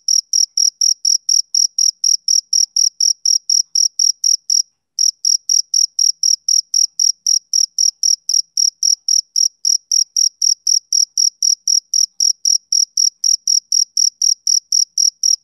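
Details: Summer-evening chirping of a male cricket: high, crisp pulses repeated rapidly and regularly. A brief pause near five seconds breaks the run before it resumes. The background is quiet.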